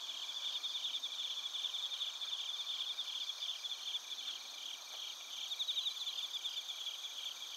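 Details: Night insects of Narita, Chiba Prefecture, Japan, bell crickets among other crickets, recorded on a TASCAM Portacapture X8; many high tinkling, rapidly pulsed chirps overlap in a steady ringing chorus.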